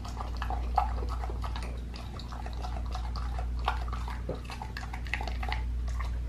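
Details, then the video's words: Indoor close recording of a pit bull eating a raw lamb leg: quick, moist smacking and crunching bites at an irregular pace, a few louder cracks, steady low background hum. "PITBULL EATING RAW LEG OF LAMB"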